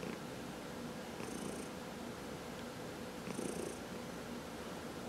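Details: Domestic cat purring while being massaged at home, one of four pet cats; a faint, even rumble with two gentle breath surges and a hushed background.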